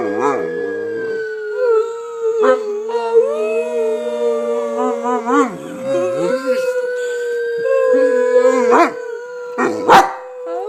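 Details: A dog prompted by its owner to "sing" and "speak" howls in long, wavering tones that rise and fall, with a person talking briefly.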